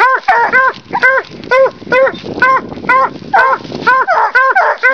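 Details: Hunting dogs, a Walker hound named Houdini and a leopard hound named Jug, barking at a raccoon treed in a big fork while hunting; arched, harmonic chop barks repeat about twice a second, some overlapping, steady throughout.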